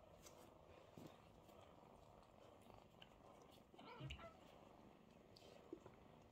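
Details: Mother cat purring while kittens queue beside her to be washed, kissed and fed; a soft, steady low rumble runs throughout, with a brief louder rustle near the fourth second and a faint click near the end.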